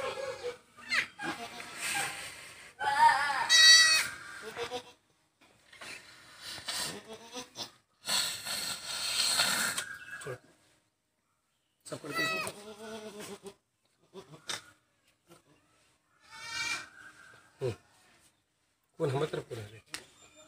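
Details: Newborn goat kid being revived after birth on a goat farm: several wavering, nasal bleats scattered through the clip, broken up by handling noises, rustling and a man's voice.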